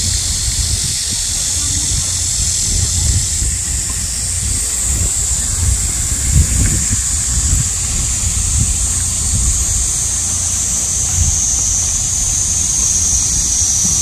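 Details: Cicadas singing in midsummer during a nationwide heat wave, an intensely loud, unbroken shrill buzz held steady throughout, with low rumbling background noise underneath.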